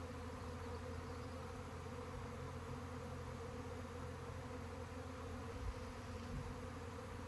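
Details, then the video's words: Swarming honey bees make a continuous, even buzz. The layered hum holds steady for the whole stretch, with a faint hiss above it. "Bee SWARM!"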